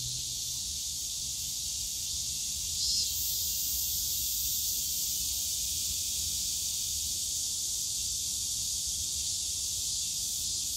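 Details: Cicadas in the bamboo grove of Yongsan Family Park on a summer day, a dense, steady high-pitched shrill droning without a break, with a faint low rumble of park background noise.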